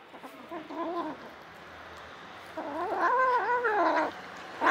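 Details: Stray cat family: a mother cat with five kittens of her own and two adopted orphans. Two drawn-out, wavering harmonic meows, a softer one early on and a louder, longer one near the end, then a brief third cry begins.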